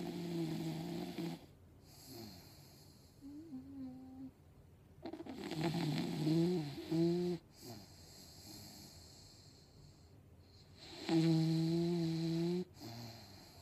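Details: A sleeping English Bulldog snores in deep, buzzy, rattling bursts that rise and fall irregularly while dreaming.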